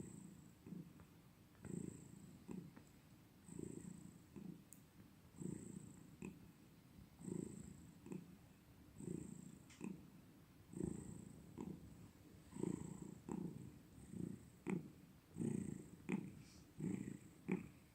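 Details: Domestic cat purring steadily indoors, low rumbling pulses swelling and fading with each breath about every two seconds, a faint soft click or two, no other animals.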